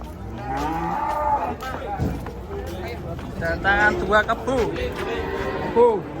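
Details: Cattle coming down off a truck: a drawn-out moo that rises in the first second, followed by shorter overlapping calls and bursts of people's chatter.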